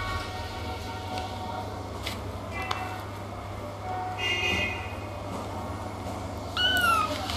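Kittens mew in short, high-pitched bursts, the clearest near the end falling in pitch as it fades. A constant low hum and a few soft clicks sit in the background.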